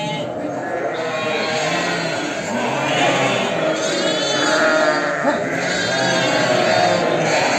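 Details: A herd of sheep with lambs, gathered in preparation for boxing, bleating together: many overlapping quavering, wavering bleats of mixed pitch, high and low voices. The calls form a dense, unbroken chorus with no quiet gaps.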